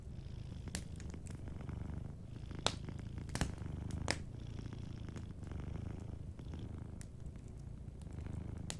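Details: A sleeping cat purring softly beside a warm fireplace: a steady low rumbling purr swelling and easing in slow cycles, with sharp crackles and pops of burning wood scattered throughout.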